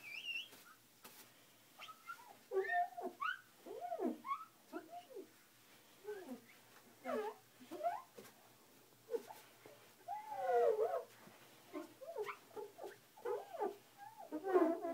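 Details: Husky indoors in the evening, curious and confused after a bathroom mirror was cleaned with a squeaky glass cleaner; a run of short, wavering, rising and falling whines and yodel-like moans, closely spaced, with a person speaking softly at times.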